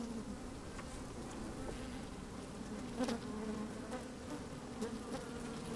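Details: Inside an open hive on a sunny, slightly windy day, worker honey bees move about and buzz; a continuous low hum with a clear higher overtone, with a brief louder buzz around three seconds and soft crackles from bees moving near the microphone.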